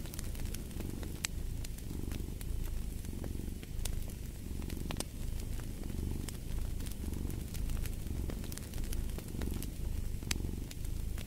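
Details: Cat purring close by a fireplace, a steady low rumble that swells and eases with each breath in an even rhythm, while sharp crackles and pops from the burning fire sound over it.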